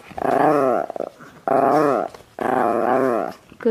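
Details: Chihuahua prompted indoors to 'say I love you', answering with three drawn-out, wavering, harmonic moaning vocalizations, each under a second, spaced about a second apart, with a person's coaxing voice between them in a small room.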